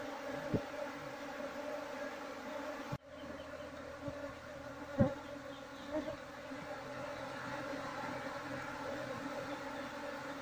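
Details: Softer, continuous humming drone from a wild Asian honey bee colony (Apis cerana) as the nest is searched for its queen. A sharp knock, several faint taps and light handling noises sit over the buzz.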